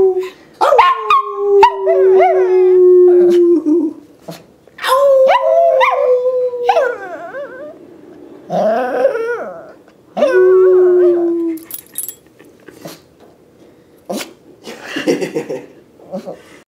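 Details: A Yorkie Shih Tzu, a small dog being taught to howl properly, gives long, wavering howls that slide downward, broken by short yips and whines.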